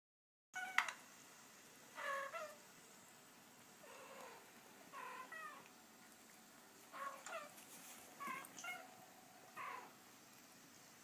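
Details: Two male Abyssinian cats indoors react while a recording of female cats chatting plays; short meows come in separate bursts about every one to two seconds, some brief and rising, against a steady low hiss.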